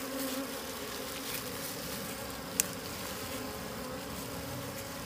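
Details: Swarm of wild bees near their hidden honey, giving an even, droning buzz with a low tone and a higher harmonic layered above it; one sharp click midway through breaks the steady hum.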